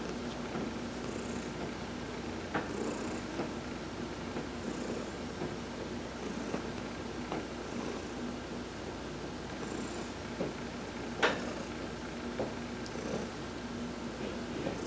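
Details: Long steady purr from Heidi the cat under a massage in the sun, November 19, 2020; the low rumble continues unbroken, dotted with faint high bursts and a few sharp clicks.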